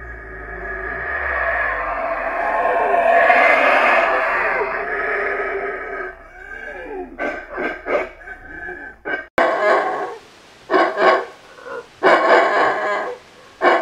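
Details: Howler monkey howling: a long, loud, breathy roar builds and falls over six seconds, followed by a run of short, harsh, pulsed barking roars in uneven bursts.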